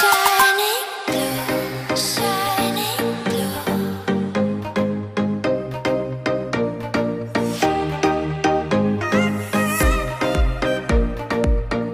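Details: Upbeat electronic music with a steady plucked beat and bass line plays throughout, with no animal voices.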